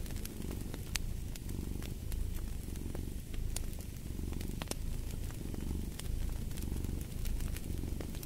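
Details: Cat purring steadily, its deep rumble rising and falling in slow breathing cycles while a fireplace crackles and pops in the background.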